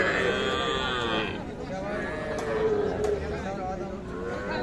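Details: A drawn-out lowing from cattle at the busy Ambari livestock market, held for just over a second before fading into the talk of buyers and sellers, with a few sharp clacks and market chatter.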